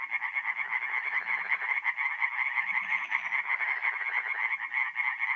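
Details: Tree frog chorus at night, forest pond in North-East Italy during mid-April; fast overlapping croak pulses, almost three per second, loud and continuous, with softer low croaks from more distant frogs.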